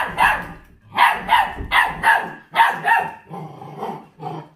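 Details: Forty-day-old feral-type mixed-breed puppy guarding raw food; a run of rapid shrill barks roughly one a second, fading into softer gruff growling yips at the end.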